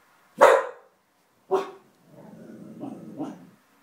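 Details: A pet dog growling at something unseen: two sharp, loud barks about a second apart, then a low, rumbling growl that rises and falls for about a second and a half.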